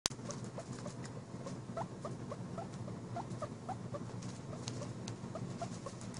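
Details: Guinea pig mother giving kisses with teeth pressed gently against skin, making rapid chompy clicking noises repeated several times a second, steady and soft.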